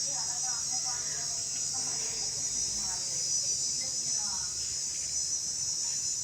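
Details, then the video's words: Crickets at a homestay near Sigiriya, Sri Lanka, in the morning keep up a steady, shrill, high-pitched drone, with occasional peacock calls, faint voices and other calls underneath. "ঝিঝি পোকার ডাক শুনতে পাচ্ছেন, মাঝে মাঝে ময়ূরের ডাকও রয়েছে তার সাথে।"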